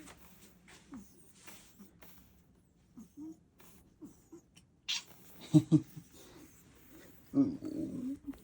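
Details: Pet cat answering when called by its owner indoors, giving short low meows in reply, a few soft brief calls then a longer louder meow near the end, with the owner's voice speaking in Korean between calls.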